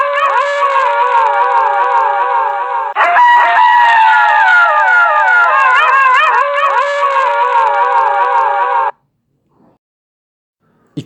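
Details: A wolf chorus howls with many wavering, yodel-like voices weaving over each other, one strong level howl joining at about three seconds before the sound cuts off into silence.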